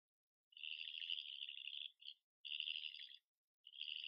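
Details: European badger calling at night in Ireland, caught on a licensed trail camera: shrill, rasping, high-pitched squeals in three bursts, the first about one and a half seconds long, then shorter ones, over a silent background.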